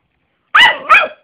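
A Yorkshire Terrier gives two quick, high-pitched yappy barks in close succession.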